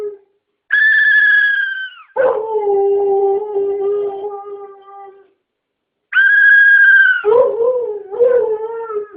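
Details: A Siberian Husky, annoyed by a noise, gives two long, wavering howls that start high and slide sharply down.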